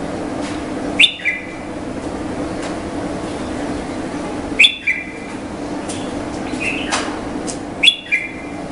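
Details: Indian flying fox producing a shrill squeal with a lower falling tail roughly every three to four seconds, three times in all, with faint clicks and a steady low hum throughout.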